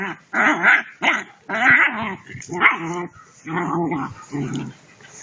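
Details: German Shepherd puppies playing together: a run of harmonic yelping growls and rough barks, about seven bursts in five seconds, some rising and wavering, with short gaps between.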